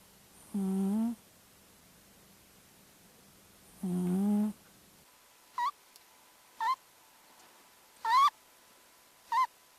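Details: Sleeping cat secretly recorded snoring, sped up five times so it sounds like farting: two long buzzy low tones with stacked harmonics, then four short rising chirps, each a separate breath with quiet between.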